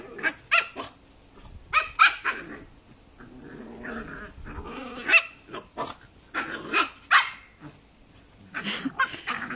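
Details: Playful Cavalier King Charles Spaniels, tricolour Holly and ruby Arlo, wrestling: sharp high yaps and bark bursts every second or two, mixed with growly grumbles and scuffling.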